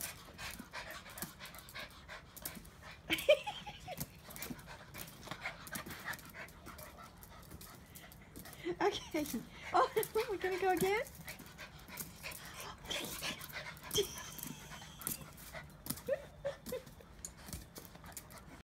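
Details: Small foxy-looking pups at home, excited and wanting dinner, let out a drawn, wavering whine midway, among scattered clicks, rustling and a person's voice.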